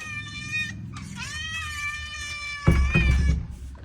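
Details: Neighbours' cat, hungry, calling with two or three drawn-out meows, the middle one rising then levelling, followed by a loud thump and clatter near the end.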